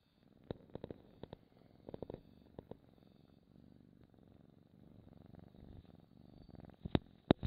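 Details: A domestic cat purrs close to the microphone in a quiet indoor ASMR recording. The low, fluttering rumble runs through the whole clip. Sharp clicks and small rustles interrupt it now and then.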